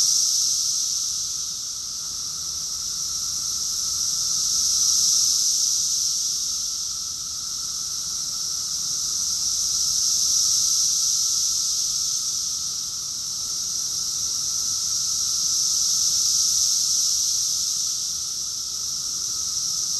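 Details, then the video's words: June 2021 cicada chorus from Rockville, Maryland, USA: a relentless high-pitched hiss pulsing in slow, smooth surges roughly every five to six seconds, each swell building then fading, with a soft continuous lower drone beneath. "Cicadas song || Cicada's chorus song"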